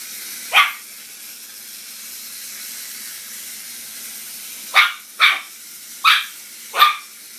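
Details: A Maltese dog barking at a mouse toy, giving one sharp high bark, then after a pause four quick yappy barks about half a second apart, over steady background hiss.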